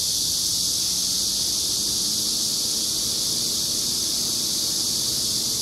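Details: Unbroken, shrill electric-sounding buzz of a Korean giant cicada fills every second, constant in loudness and pitch, over a faint low outdoor murmur.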